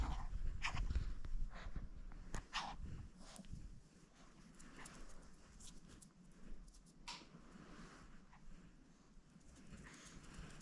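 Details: Pet Spitz dog making strange noises: irregular bursts of snuffling, snorting and panting breaths, loudest and densest in the first seconds, then sparser sharp snorts over a low indoor rumble.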